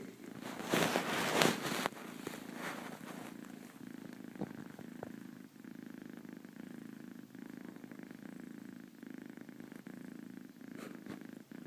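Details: Purring from a four-month-old female kitten dozing half asleep; a few loud rustling bursts open the recording, then an even, low vibrating purr continues steadily to the end.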